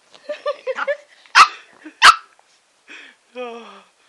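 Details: A female Shih Tzu, biting at a lollipop she is given indoors, lets out two sharp, loud barks about a second apart, with a person talking before and after.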